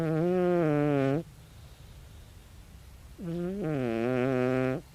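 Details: Loud snoring from Tabi, a sixteen-year-old calico cat asleep: two strong, buzzing, droning snores about two seconds apart, each held for over a second with a wavering low pitch, quiet pause between.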